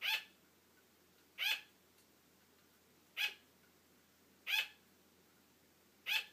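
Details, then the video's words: A female pet sugar glider barks for attention, wanting her owner to keep playing as the owner falls asleep: five sharp, high, yappy barks, evenly spaced about every one and a half seconds, in a quiet room. "Sugar glider barking for attention"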